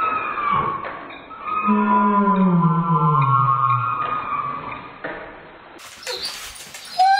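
A Dobermann's whine, slowed down into a deep, drawn-out moan that glides downward like a whale call.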